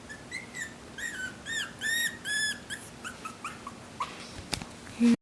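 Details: Young Havanese puppies from a litter of one girl and three boys give a run of high, drawn-out whining whimpers, several arching cries close together, then softer yips and a sharp click at the end.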